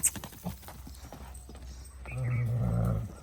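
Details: Marwari horse, a mare that is drawn to people, during training, recorded 9 May 2024: after soft thuds and rustling, a deep, rumbling, harmonic nicker lasting about a second, with faint voices in the background.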